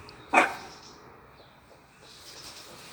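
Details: A French bulldog playing with a cat gives one short, sharp bark, followed by a faint hiss of room noise.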